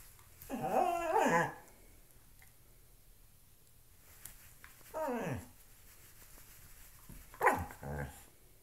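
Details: Loki the dog tussles with a shoe indoors, letting out three separate bursts of rough, harmonic growling grumbles, each under a second long and spaced a few seconds apart, with a faint room hum between them.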